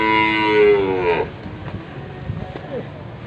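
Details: Black Angus cattle at the Pon Ambarawa animal market in 2021, giving one drawn-out harmonic moo of about a second that fades, followed by low background market noise and faint clatter.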